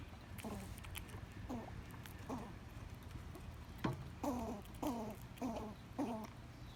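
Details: Backyard squirrel vocalizing while eating: a series of short, low, downward-sliding harmonic calls, roughly one every half second to second, growing more frequent toward the end, with faint background noise.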